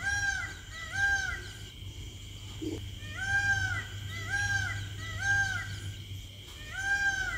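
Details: A cheetah gives high, bird-like chirps, each arching up and down in pitch, repeated about every two seconds.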